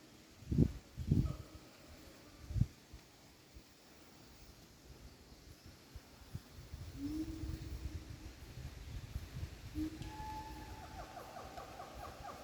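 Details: In the wild in Pakpak Bharat, North Sumatra, a siamang gives deep booming pulses, then drawn-out hooting notes that climb higher.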